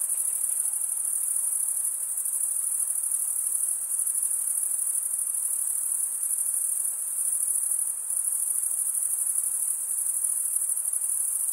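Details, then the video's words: Crickets chirping by wing stridulation form a dense, piercing high-pitched trill that runs the whole time, swelling and dipping only slightly, with no background sounds. "Most relaxing cricket sound"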